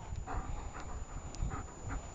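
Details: Dog panting during a game of fetch with a thrown ball, quick breathy puffs repeating about every third of a second, soft and close, over a low rumbling background.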